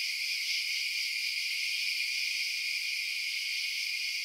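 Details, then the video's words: At night, crickets chirp in a thick continuous high-pitched drone, fast pulsing trills blending together without pause, with no deeper sounds or other animals. "Night Sounds Crickets Chirping"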